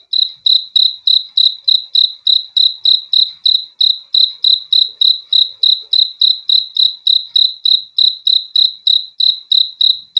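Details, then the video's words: High, pure cricket chirps, roughly three per second, form a regular unbroken pulse throughout, a calm sound meant to help with sleep, with no background noise. "BEAUTIFUL SOUND OF CRICKETS"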